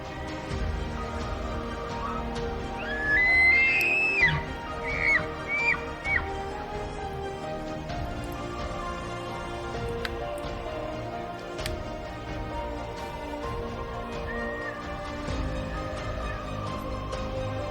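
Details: A bull elk bugles during the rut (mid-September to mid-October) in Rocky Mountain National Park. The high whistle climbs steeply and breaks into short squealing notes. Bulls bugle to assert dominance and protect their herds, and music plays throughout.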